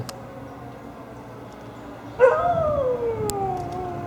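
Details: Female Siberian Husky howling at fire truck sirens, recorded 1/10/15; after a steady noisy background, one long howl begins abruptly and slides slowly downward in pitch, holding for nearly two seconds.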